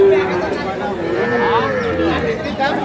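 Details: A small Sahiwal calf, bull or heifer, at a Pabna cattle market on 12/5/25; a single drawn-out moo sliding slowly upward then easing down, half masked by men bargaining nearby.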